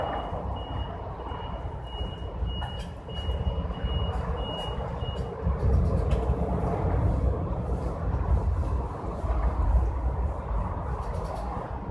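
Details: Truck noise outdoors with repeated high reversing beeps early on, then a low rumble of traffic, with no animal calls.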